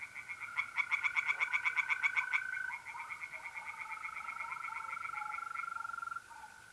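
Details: On an April night at a pond in north-eastern Italy, tree frogs give a loud, rapid series of clicking croaks that fades into softer, quicker pulsing, with mole crickets trilling steadily underneath.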